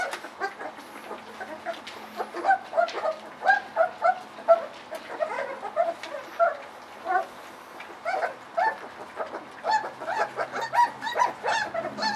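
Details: Several puppies about 3.7 weeks old whining at evening feeding time as soft mush is served; many short, high whimpers repeated about once a second, overlapping, with a man talking and dishes clattering.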